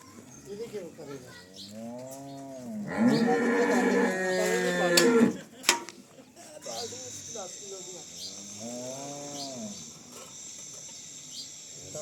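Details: Cholistani Jersey cross cow for sale in Pakistan, March 12, 2025, giving repeated arching moos, one loud harsh bellow in the middle, then more rising-and-falling lowing, while a high steady tone and human chatter continue.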